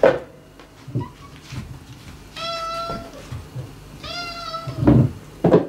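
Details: Mame-chan, a female former stray cat, approaching the resident cats in the home: two clear, drawn-out tonal meows, each under a second, with soft thuds and faint room noise around them.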